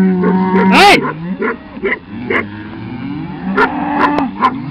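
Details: Cattle driven slowly by herding dogs during a pasture change: long low mooing runs steadily underneath, with a sharp dog yelp near the start and several short barks later.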